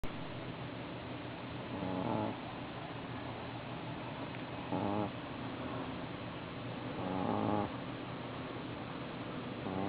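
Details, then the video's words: A Boston Terrier sleeps soundly, snoring in slow, rasping bursts about every two and a half seconds. "Boston Terrier Hemi Snoring"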